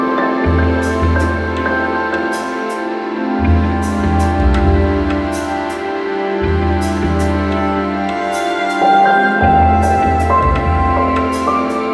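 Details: Soft, sustained instrumental music with low bass notes and gentle tones; no animal sound is heard.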